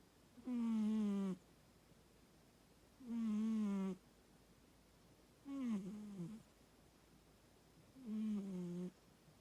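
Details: Mako, an American Shorthair cat, snoring: four tonal, humming snores with clear harmonics, each under a second long, about every two and a half seconds, separated by near silence.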